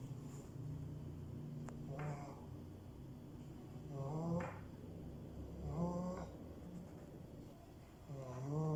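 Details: French bulldog puppy snoring: low rumbling snores about every two seconds with nasal, wheezy overtones that sweep upward at the end of each breath, fairly quiet and uneven, over a soft background hiss.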